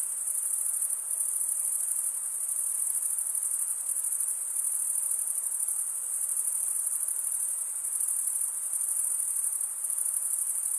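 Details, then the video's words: Steady high trilling of chirping crickets, males rubbing their wings together, forming a seamless bright hiss with gentle pulsing and small swells in loudness. "Most relaxing cricket sound"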